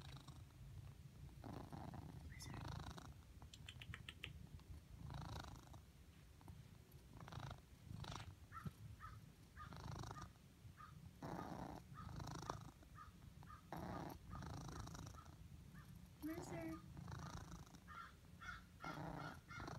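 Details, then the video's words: Deep rumbling purr from Blizzard, a pet cat whose purr turns squeaky when he spends his day lying in the sun; each breath brings a burst of purring topped by small high chirping squeaks, about twenty a minute. "Cat squeaks"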